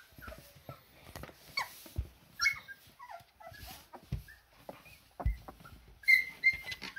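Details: Siberian Husky puppies taking their first steps, giving faint, short high whimpers and squeaks scattered among soft shuffling and handling noises.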